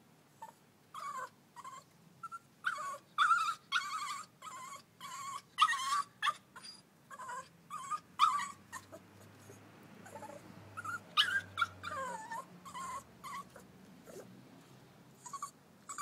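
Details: Young Staffordshire Bull Terrier learning stairs, crying on the way down: a long run of soft, brief whimpers repeated about every half second, with a few louder wavering whines, quiet background hum.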